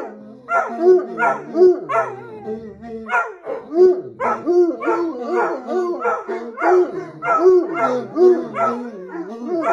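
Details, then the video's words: Howling bloodhounds, a high-energy breed that howls mostly when excited, give rhythmic baying cries in rapid overlapping bursts, each rising and falling, repeated roughly every second throughout, with layered voices suggesting more than one dog. "Howling Bloodhounds"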